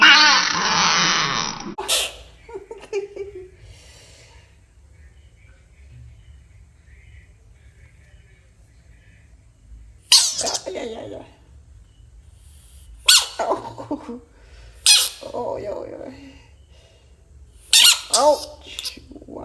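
An American bullfrog gives loud, harsh, wavering screams in short bursts separated by quiet pauses.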